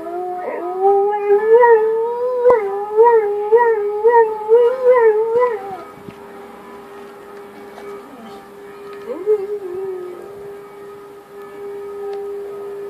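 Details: Dog howling in response to a siren: a tonal, wavering howl with pulsing rises and falls for about six seconds, then a steady siren-like tone that continues, with a brief howl near nine seconds.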